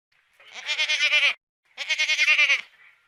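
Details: Two quavering, nasal bleats from a Garut goat, each about a second long with a rapid trembling pulse, separated by a brief silence; nothing else is heard.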